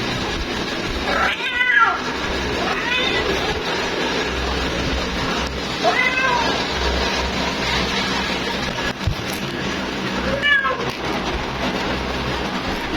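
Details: Female cat calling her mate: several fainter meows, some short and some drawn out, scattered through heavy background noise with a low hum and a few clicks.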